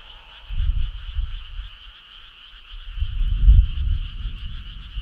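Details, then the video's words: On a summer night, a frog gives two loud bouts of low, rattling croaks, one early and a longer one after three seconds, over a constant high-pitched chorus hum. "Cool frog sound"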